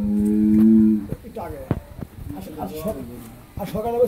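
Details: Pregnant Holstein Friesian dairy cow, nine months in calf and due for her second calving, on a farm in Pabna, Bangladesh; one low, steady, droning moo lasting about a second, followed by men talking and some clattering.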